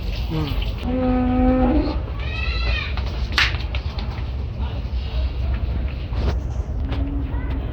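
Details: Cattle at Gabtoli market, brought for sale ahead of Qurbani Eid 2024. A steady, low, droning moo lasts about a second, and a shorter one follows later, amid crowd chatter and traffic rumble.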